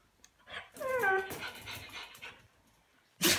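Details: Siberian Husky in a crate, just back from being spayed, vocalizing to another husky: a short rising-then-falling talking whine with clear layered tones, followed by breathy murmurs, then a sudden loud sneeze at the end.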